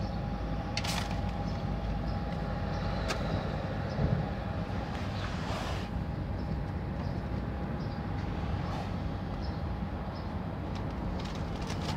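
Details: Low rumbling street traffic with a few brief clanks and knocks, and no meowing or other animal voice.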